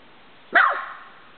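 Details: A nervous puggle, normally skittish and keeping its distance from a visitor, lets out a single sharp, bright bark that trails off quickly; a person comments quietly before and after.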